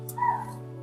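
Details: A chital (spotted deer) in Panna Tiger Reserve, India, gives a single sharp, bark-like alarm call over a steady safari vehicle engine hum, one of continuous alarm calls suggesting an unseen tiger or leopard nearby.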